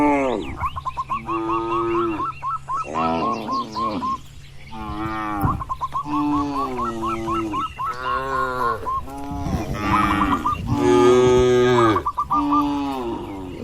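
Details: Free-ranging herded cattle wandering in a wide oil palm plantation give repeated drawn-out moos, several overlapping harmonic lowing calls of varied pitch, some rising and falling, with a steady low hum beneath.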